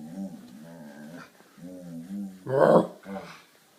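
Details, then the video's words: Collie making strange vocal noises while playing her nightly game: wavering low moans and whines, ending in a louder rising yelp, with a person's voice faintly heard. "My Collie Makes Strange Noises"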